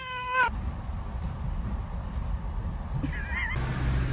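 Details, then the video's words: Kitten meowing, two short, harmonic-rich meows: a falling one at the start and a wavering one about three seconds later, over a steady low rumble and a faint voice. "kitten meowing"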